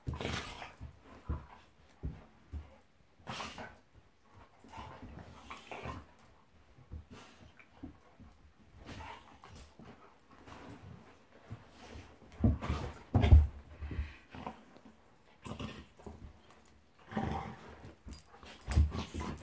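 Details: Golden Retriever named Monty play fighting with Eric the Labrador indoors, both dogs vocal: scattered low rough growls and short snorting bursts, some louder clusters near the middle and end, with scuffling between.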